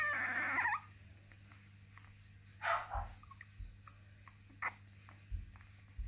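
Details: Basenji puppies of the Zakira litter F, a burst of rustling noise, then scattered short yelps and squeaky whimpers at irregular intervals above a constant low electrical hum.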